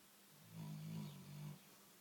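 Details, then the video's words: Sleeping, dreaming big black Labrador Retriever lets out a single low, rumbling snore of about one second, wavering slightly in pitch and dipping briefly in the middle, against a quiet background. "My BIG black Labrador snoring and dreaming"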